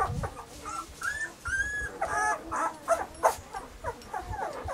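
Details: Several Weimaraner puppies (Bailey, Hailey and Jenny) whine together in summer, producing short rising and falling squeaks and yips in quick irregular succession over a noisy background.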